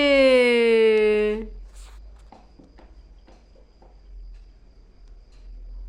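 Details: Kitten reacting to a lizard with bizarre noises: one loud, drawn-out, rich meow that sags slightly in pitch over about one and a half seconds, followed by quiet soft tapping sounds indoors.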